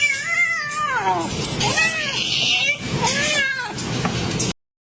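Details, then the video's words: Domestic cat giving three drawn-out, arching meows in close succession, each rising then falling in pitch, with a steady background hiss throughout. "kitten meowing call"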